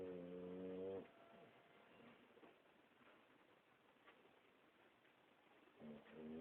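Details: Boxer dog snoring: a long, droning harmonic snore lasting about a second at the start, quiet breathing after, and another low, buzzy snore beginning near the end.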